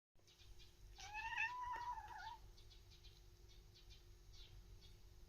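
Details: Indoor domestic cat watching a bird outside and chattering, yawning in between; a drawn-out, wavering meow-like cry with rising and falling harmonics lasts about a second and a half, followed by faint soft clicks in a quiet room.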